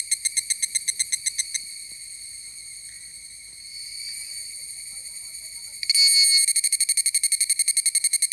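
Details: Higurashi cicada on Amami Ōshima, singing an unusual-sounding song: sharp, evenly spaced metallic pulses at first, then a steadier ringing buzz, then a sudden louder burst of rapid regular pulses that carries on to the end.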